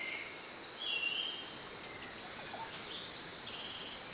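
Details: Cicadas in Costa Rica, newly moulted males calling to attract females by vibrating membranes on the abdomen. A steady, shrill, high-pitched buzz holds throughout, with a few faint chirps mixed in.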